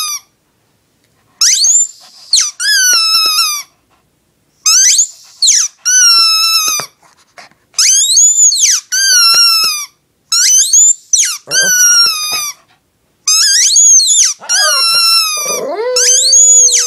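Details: Female Shih Tzu dog named Lacey howling along with her yellow squeaky toy: bursts of bright, high squeaks repeat in clusters every few seconds, and near the end a lower, drawn-out falling wail slides down under the squeaking.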